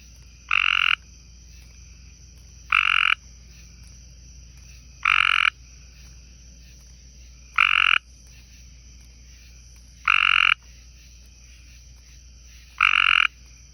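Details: Tree frogs on a porch by a garden pond: six short grating, buzzy calls repeated roughly every two and a half seconds at an even rhythm, over a constant high-pitched background hum.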